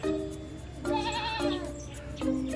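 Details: A goat at an organic farm in Thoeng district, Chiang Rai, Thailand, gives a short, wavering bleat over steady background music.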